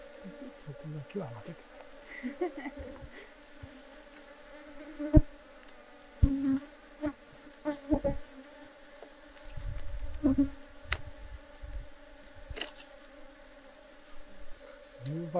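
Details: Colony of Japanese honey bees (Apis cerana japonica) in a hobby hive in Japan as honey comb is cut free during harvest. A continuous low drone with intermittent louder buzzy swells, broken by scraping, tapping and knocking from handling the hive.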